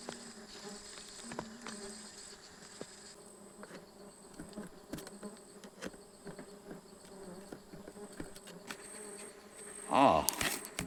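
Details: Stingless bees at a honey harvest on 24 June 2026: a low, steady droning hum with a faint higher overtone runs throughout, broken by scattered clicks and tapping from handling, with a louder rustle near the end.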